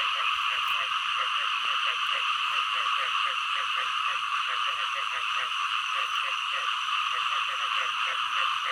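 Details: A dense chorus of frogs, including green frogs, gives rapid, repeated croaking pulses without a break.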